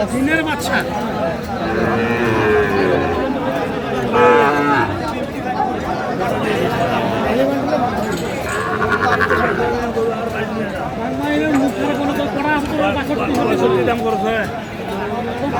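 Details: Sahiwal bull calves at a cattle market in Sylhet, 24 December 2024: several low, drawn-out moos with rising and falling arcs rise above constant haggling voices and crowd chatter.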